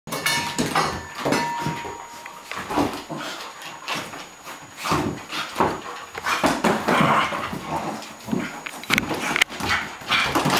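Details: Two pet dogs, a Cairn Terrier and a Flat-coated Retriever, playing together indoors; dense bursts of rough growling and scuffling noises, with brief sharp yips and a faint steady high tone in the background.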